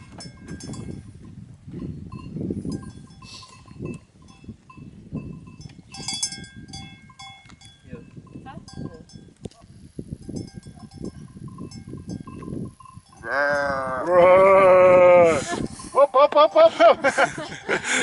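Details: Black-faced sheep in the Swiss Alps near Zermatt: after a stretch of quiet rustling and faint bells, one loud, wavering, quavering bleat, then a shorter second bleat close behind, with bells tinkling.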